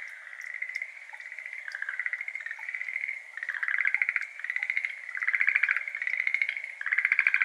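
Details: Schlegel's green tree frogs, endemic to Japan, calling in a water-filled iris garden on an evening in May 2022 around 6:53 pm; overlapping rattling, pulsed trills swell and fade in bursts every second or two, recorded with an ambisonic microphone.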